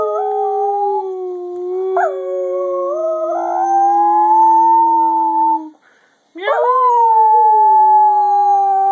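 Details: Dog 'singing' in drawn-out howls: a long note with small upward pitch shifts lasting over five seconds, a brief silence, then another sustained howl.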